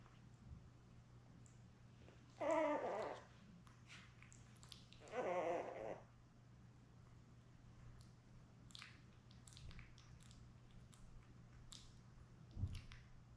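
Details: Labrador Retriever puppies, seven born May 24, 2021, lying with mother Belle on a June 4 live puppy cam. Two separate half-second whining cries about three seconds apart, then quiet rustling and soft clicks over a constant low hum.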